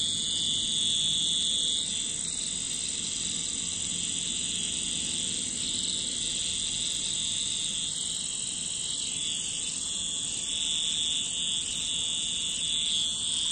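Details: A continuous cicada drone fills the scene with high, hissing, even buzzing that barely wavers for over ten seconds. A faint low rumble sits underneath.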